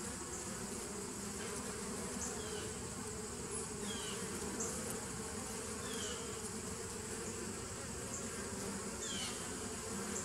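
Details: Bees of a 2017 nuc colony recorded on 27 September 2018: a steady, dense low hum with layered droning bands that never pauses, while faint short high chirps come through now and then.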